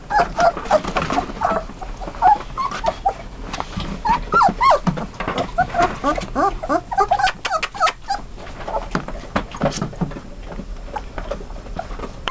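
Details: Dutch Shepherd × German Shepherd cross puppies, 21 days old; scattered short squeaks and whimpers among clattering and handling sounds, softer and more broken than steady crying.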